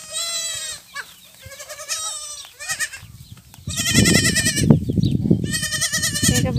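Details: Rejected goat kids bottle-fed after their mothers refused them; a run of wavering, nasal bleats with strong harmonic stacks, several overlapping, then louder bleating over rustling and a background thump of music.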